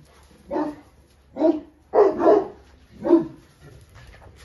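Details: Central Asian Shepherd Dog barking while charging a fence: five gruff barks roughly a second apart, with a doubled bark in the middle, over a low steady background hum.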